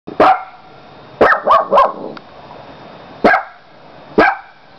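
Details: Domestic dog barking indoors: five sharp, loud barks in a short burst pattern, one single bark, then a quick cluster of three, followed by two more spaced about a second apart, over a faint steady hum.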